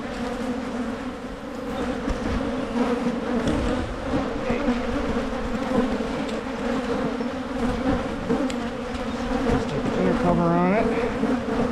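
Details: Beehives in Michigan being divided to reduce swarming: an unbroken, fairly loud low hum with layered overtones, small clicks throughout, and one quick downward-sweeping tone close to the end.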